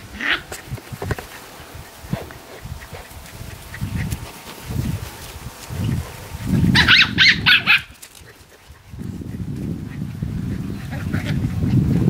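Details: Australian Terrier puppies playing with their mother, giving low growls and rumbling scuffles, then a burst of several quick high yaps around the middle, followed by more low growling play noise.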